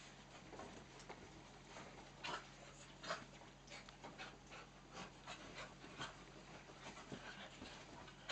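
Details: Playtime for four dogs, two miniature dachshunds and two cocker spaniels, celebrating Nellie's third birthday; soft rapid panting puffs and rustling scuffles, with a few louder huffs spaced about a second apart.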